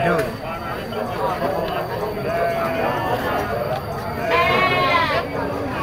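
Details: Young goat kids at a busy goat market, one bright, wavering bleat near the end standing out from a steady background of people talking and crowd chatter.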